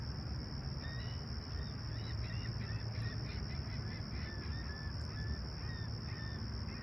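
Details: Summer sunrise crickets at Humber Bay Shores, Toronto, on a calm clear morning, July 28, 2020: a continuous high trill holds steady while short, sharp mid-pitched bird chirps repeat many times above a low background rumble.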